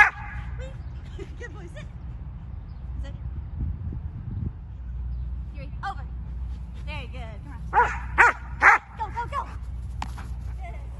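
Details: During a frisbee, obedience and tricks display, a six-and-a-half-month-old German Shepherd called Yuri lets out a short run of three clipped barks after several seconds of a person speaking.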